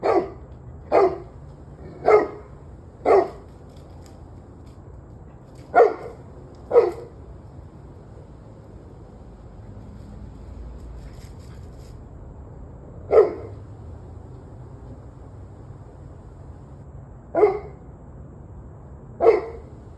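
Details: Dog barking, recorded 21 November 2023 at 7:06 pm: a quick run of four barks, two more, then a long quiet gap before three isolated barks, low background hum throughout.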